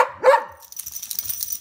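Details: Poodle playing tug of war gives one short, sharp bark near the start, followed by faint rustling and hiss.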